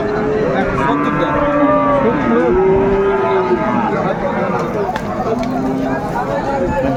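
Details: Bull calves, Friesian and crossbred, at the Raniganj market in Dinajpur, Bangladesh, on 28 November 2024; drawn, slightly wavering moos rise and fall against loud crowd noise and occasional sharp clatters.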